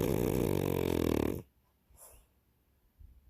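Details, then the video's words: French Bulldog snoring: a loud, rough, buzzy snore lasting about a second and a half, then a quiet breath and near silence indoors. "Snoring Frenchie"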